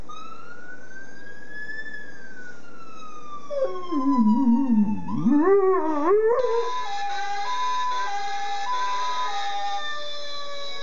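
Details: Jagger, an American Staffordshire Terrier, howls along in imitation of police and ambulance sirens: a wavering, sliding howl rises and dips in the middle, between a steady electronic siren tone before it and stepped siren notes after it.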